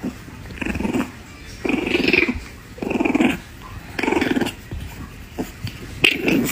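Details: A puppy growling in rough, raspy bursts, about one every second, five in a row, with a sharper snap near the end over low room noise.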